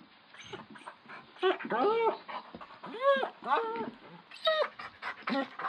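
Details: A sleeping domestic dog whimpering during a bad dream: irregular short arched whines, some higher and strained, spaced between soft breathy noises, indoors and quiet.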